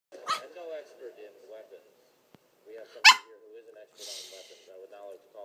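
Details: Tiny dog giving little high-pitched barks and growls: two sharp yips a few seconds apart over a run of soft, wavering whiny growls, with a brief breathy burst near the end.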